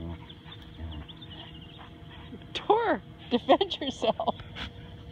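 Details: Playing with his quiet Rottweiler friend Tor, Husky/wolf mix Max lets out a sliding, descending yowl, followed by a quick run of short, clipped talking yips over background noise.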